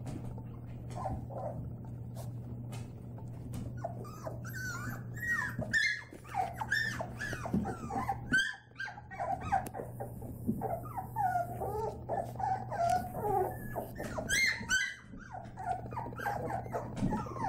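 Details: White Labrador Retriever puppies playing indoors, giving a stream of high whiny whimpers and squeaks with small yelps overlapping, over a steady low hum, with a woman laughing.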